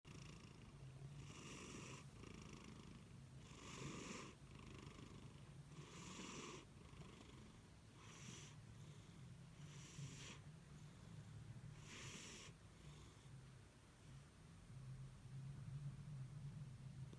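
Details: A pet cat snoring while deeply asleep: very quiet, soft rasping breaths in slow pulses about every two seconds over a steady low hum.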